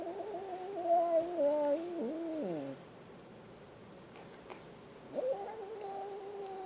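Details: Scared kitten crying in a sustained, quavering yowl that wobbles and drops away over nearly three seconds, followed after a pause by another long, steady meow.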